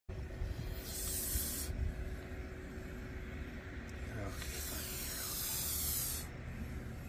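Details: Great Basin gopher snake in Utah, a larger normal-patterned individual, gives two breathy hisses. The first is short and the second lasts nearly two seconds, over a steady low wind rumble.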